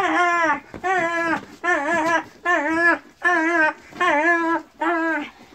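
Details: Kangal puppies whining: seven wavering, nasal whimpers, each about half a second long with a slight rise and fall, repeated roughly every 0.8 seconds with brief silences between, nothing else clearly audible.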